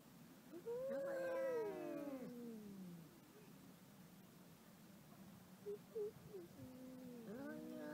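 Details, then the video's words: A "talking" domestic cat gives one long, wavering meow that slides downward, then a few soft chirps and a rising meow at the end, over a steady background hiss. "Funny Talking Cats"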